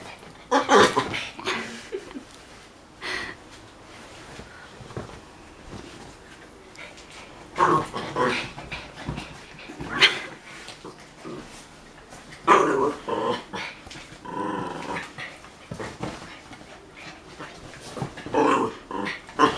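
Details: Young male puppy playing with a female dog friend: short bursts of rough play growls, snorts and scuffling, separated by quieter pauses with panting.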